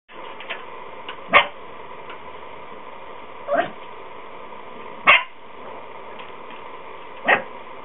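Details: Yorkshire terrier puppy in trouble, unable to escape, giving short sharp barks or yelps at irregular intervals, four clear ones spaced a couple of seconds apart over a steady background hum.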